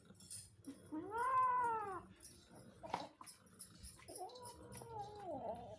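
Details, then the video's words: A pet cat asking for food gives two long, arching meows, the first rising then sliding down, the second flatter and wavering, separated by a brief knock. "Cats are asking for food making funny sounds!"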